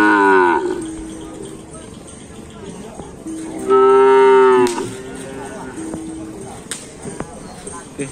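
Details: Cattle brought directly from Sapudi Island, shown at an anniversary event in Griduh Onggu. A rough, harmonic moo opens the recording. A louder, steady moo lasting about a second follows midway, with a few shorter, fainter lows and background murmur.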